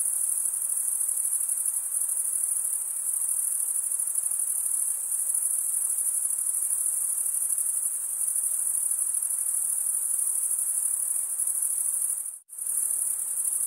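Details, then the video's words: Male crickets stridulating, rubbing one wing's toothed vein against the other, in a dense, continuous high-pitched trill that holds steady throughout, broken by one brief silent gap near the end; faint hiss lies below. "Most relaxing cricket sound for 8 hours"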